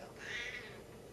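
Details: Indoor talking Siamese cat giving a short, faint, high meow that rises and falls over about half a second, with harmonics; quiet room background and no voices during the call.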